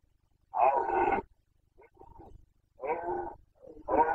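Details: Carpathian red deer stag in Bucovina during the 2021 breeding season, giving the rutting roar known in Romanian as boncănit: two loud, harmonic, hoarse roars about half a second long, a softer call between them, and another roar starting at the end.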